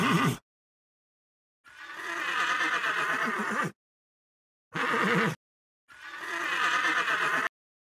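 A horse whinnies in four separate bursts, each a shaky, quavering neigh lasting half a second to two seconds, with sudden silences between them.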